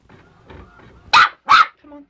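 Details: Westie puppy going after a working printer it seems to dislike; soft mechanical printer whirring, then two quick sharp barks in succession.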